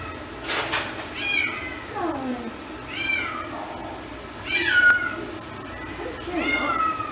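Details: Nervous female Domestic Shorthair cat newly arrived at an animal shelter, meowing four times over seven seconds, each call rising then sliding down in pitch, over a steady low hum.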